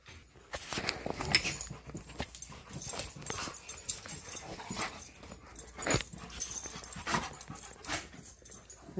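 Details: Excited before a morning bikejoring outing, Tonka and Monroe keep up steady breathy panting mixed with thin whimpers, over scuffling, jingling and an owner's voice as leashes are put on.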